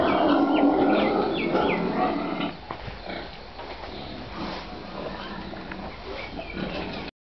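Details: Farm pigs in Nepal letting out shrill, wavering squeals over the first two and a half seconds, then falling to lower, quieter grunting and general pen noise until the end.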